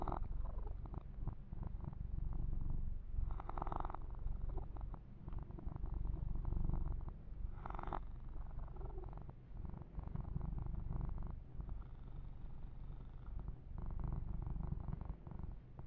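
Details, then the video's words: Continuous deep purring from Yumak, a young male pet cat enjoying a massage, the low throbbing rumble rising and falling with each breath, overlaid by intermittent fur-brushing swishes and close microphone rubbing. "Kitten Massage - Perfect Sleep Helper Ear to Ear Purring"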